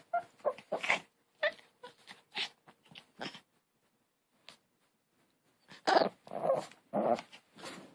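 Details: A dog indoors produces strange, breathy barks and huffs in irregular clusters, a quiet gap midway, then a louder set of four rough barks near the end.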